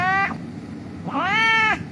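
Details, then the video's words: An injured street cat being wrapped in a blanket for treatment lets out a short meow followed by a longer, arching meow, over low background rumble. "The cat was lying on the street crying, we will treat it."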